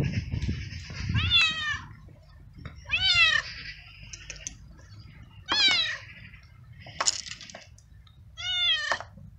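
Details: Street male cat in heat seeking a female and asking for food gives five well-separated meows about every one and a half seconds, each rising then falling in pitch, over faint low background noise.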